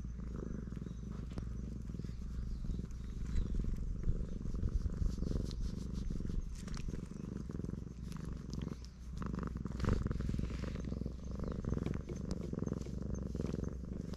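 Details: Black stray cat giving a loud, happy purr as it is stroked; dense, steady low rumble with gentle breath-paced swells, little other sound.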